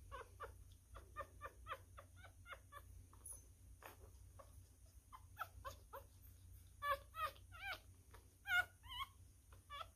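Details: Newborn male miniature schnauzer puppy being hand-fed, a messy eater: rapid wet smacking and sucking clicks through the first half, then high, wavering squeals and whimpers, several short rising-falling cries close together near the end.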